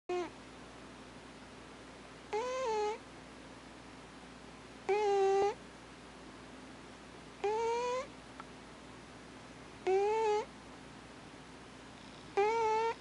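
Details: Thames, an alpha house cat, snoring in his sleep indoors: squeaky, nasal tones that rise slightly at the end, repeated steadily about every two and a half seconds, six in all, over a faint steady room hum.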